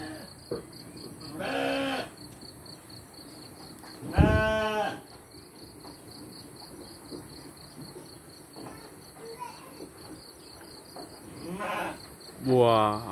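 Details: Sheep at feeding time with children, giving three or four loud wavering bleats spread across a quiet stretch, with a steady insect hum running throughout and faint human voices.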